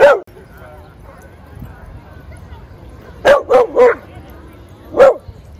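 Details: Dogs playing in a Brooklyn dog park: a single sharp bark opens, then after a quiet stretch comes a quick run of three barks and one last bark, over a low steady background hum.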